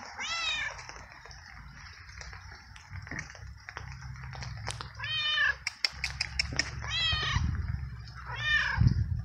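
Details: Stray tomcat soaked by rain, given treats and kibble by the person who feeds local strays; meowing a lot, maybe from cold. Four clear harmonic meows, each rising then falling, spaced a few seconds apart, with clicking and low rumbling noise between.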